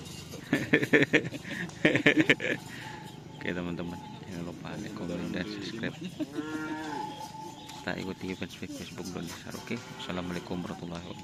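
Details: Cattle at karapan sapi bull race training on the Asemanis field in Pamekasan, ahead of the Griduh Onggu anniversary; a long, arching, drawn-out moo rises and falls midway, among bursts of nearby talking and outdoor crowd noise.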